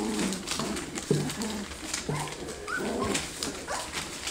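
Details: F1B Standard Goldendoodle puppies, three weeks old, from a litter of ten learning to move around and play fight; soft, low, tonal whimpers and grunts come in short separate bursts over a steady background hum.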